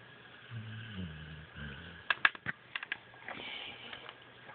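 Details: Sleeping female dog named Hershey snoring indoors: low, rough, rumbling snores in two drawn-out breaths during the first two seconds, followed by sharp clicks and handling noises and quieter rumbling.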